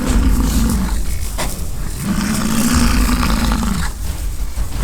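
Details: American bison fighting in rutting season at a ranch by the Peace River near Fort St. John, British Columbia, Canada: a short low roar, then a long steady bellow lasting nearly two seconds, with constant low rumble and wind.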